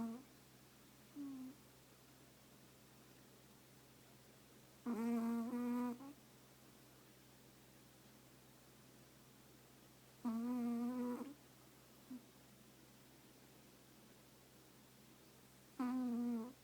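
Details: Sleeping Chihuahua curled up in its owner's lap, giving a whistling, hum-like snore of about one second. Three snores come at steady breathing intervals of roughly five to six seconds, with faint short sniffs between them, against quiet room hum.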